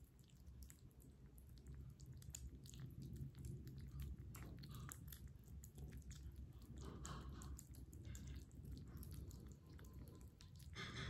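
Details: Close-up of a kitten at breakfast, chewing steadily: dense, moist munching with frequent crisp crunches and bites, louder and continuous throughout, with a low rumbling background in a small room.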